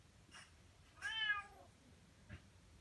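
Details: Bengal cat meowing loudly indoors for attention, usually asking for food: one clear, drawn-out meow falling in pitch after about a second, framed by fainter short sounds before and after.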